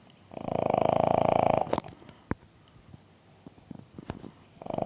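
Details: A sleeping King Charles Spaniel snoring loudly indoors: a buzzy, rapidly pulsing snore lasting over a second, then soft clicks and rustles before the next rough snore begins.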